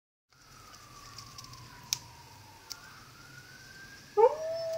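An Alaskan Malamute howls, a faint drawn-out sliding tone swelling into a loud, full, wavering howl.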